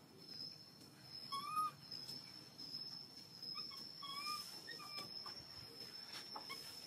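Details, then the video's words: Hungry baby monkey crying loudly to ask for milk: short, thin, whistle-like cries that rise and bend, each with faint overtones, repeated irregularly over a steady high-pitched hum. "Baby monkey hungry milk crying so loudly to ask milk."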